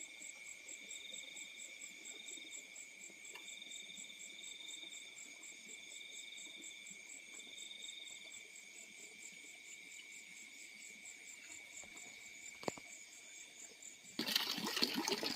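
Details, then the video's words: Crickets calling at night in the fields: steady high-pitched trills in several layered bands with faint pulsing, over a quiet low background, ending in a sudden burst of loud rustling noise. "The Sound of Crickets in the Fields at Night"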